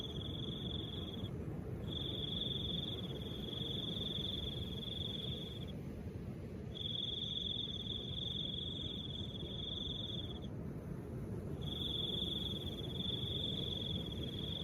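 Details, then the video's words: High, even cricket trills in long bursts of about four seconds with brief silences between, carried over a continuous soft wind. "Crickets and the sound of soft wind"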